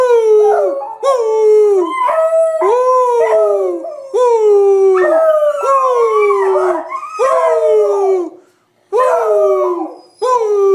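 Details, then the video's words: Two 8-month-old beagle sisters howling along with their owner indoors: overlapping wavering, falling howls and bays, repeated in bursts about every second, one brief pause near the end. "Howling beagles"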